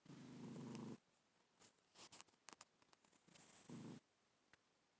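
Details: Black domestic cat sleeping indoors, snoring: a long rough rasping breath for about a second, then scattered soft clicks and rustles, then another shorter grating snore about three seconds later.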